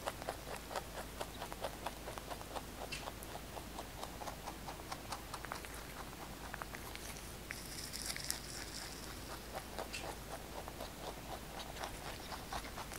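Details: Kkotdori the pet rabbit chewing fresh basil, recorded close up. Even, rhythmic crunching clicks continue throughout, with a brief crinkly rustle midway.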